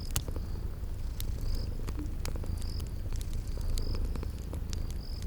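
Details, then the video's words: Sleeping kitties purring by a crackling fireplace, spring garden ambience; a soft low rumble sits beneath frequent sharp fire crackles, with a few brief high piping tones spaced about a second apart. "Relax with Cute Sleeping Purring Kitties by a Crackling Fireplace"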